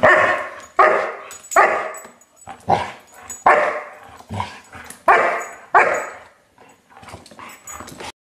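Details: German Shepherd puppy aged five months giving a rapid series of sharp, yipping barks, about ten in eight seconds, irregularly spaced, with a short whimpering note near the end.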